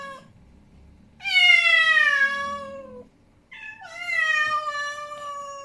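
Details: Angry male domestic cat yowling indoors: a soft short meow, then a long loud harmonic wail gliding slowly downward over about two seconds, a brief pause, and a second drawn-out falling yowl.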